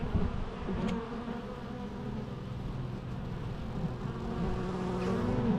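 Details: Dense hum of many bees, low and rumbling, with individual buzzes gliding slightly in pitch as insects pass, loudness rising gently toward the end.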